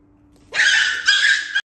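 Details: Startled Pomeranian, jump-scared by a naughty cat indoors, letting out a series of high-pitched, child-like shrieks while darting away; two loud shrill bursts lasting about a second in total.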